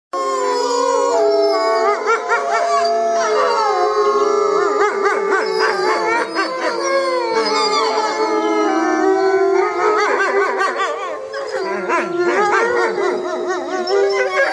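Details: Wolf pack howling together at night while communicating and hunting; many overlapping long, wavering tones, some steady and some sliding up and down, blend into a dense continuous chorus throughout.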